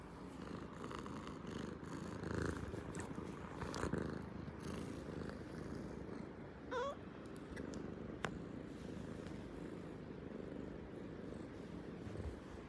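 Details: Purring from one of two clingy pet cats at home during a workday indoors, a steady low rumbling texture running throughout, with a brief faint higher squeak near the middle and a soft click later.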